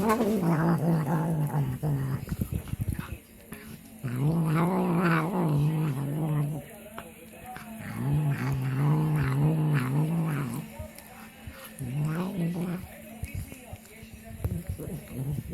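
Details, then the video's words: Domestic cat producing low, wavering growling mumbles while eating, in repeated phrases of about two seconds with short pauses, plus chewing-like clicks between. "A cat makes weird sounds while eating"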